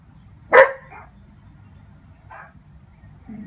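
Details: Dobermann puppy barking while watching a Dobermann dog show, communicating with the dogs on screen: one sharp loud bark followed by a softer echoing yelp, then a faint short sound later over a low background hum.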